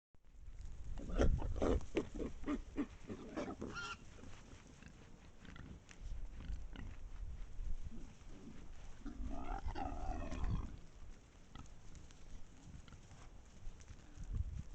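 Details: Pack of wild boars at a sand spot in Estonia, captured by a trail camera: deep, rough grunts come in rapid irregular bursts through the first four seconds, with a second cluster of grunting and snuffling around ten seconds.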